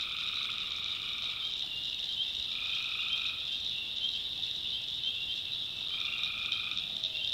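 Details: Backwoods swamp in North Carolina at night: three buzzy tree frog calls of about a second, evenly spaced roughly two and a half seconds apart, over a dense shrill chorus of calling insects or frogs.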